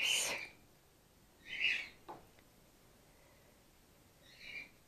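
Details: Gwickle, a female grey-headed flying-fox pup in care on her second day, bottle support-fed after her concussed mother lost her milk; three short high squeaky calls with bright overtones, the first loudest, spaced over several seconds.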